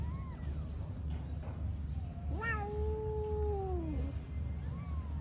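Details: Mother cat on an Istanbul street talking to her kittens: one long drawn-out meow, rising then holding steady and falling away, with faint shorter mews around it over a constant low traffic rumble.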